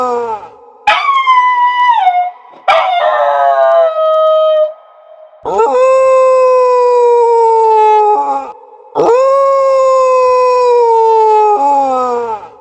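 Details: Dogs howling: two short sliding howls that drop quickly, then a pair of long, level, harmonic-rich howls held roughly three seconds each with brief gaps between.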